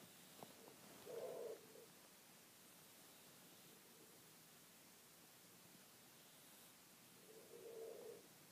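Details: Sleeping cat named Bee snoring: two soft, breathy snores about six seconds apart, each lasting around half a second, over a faint steady hiss in a quiet room.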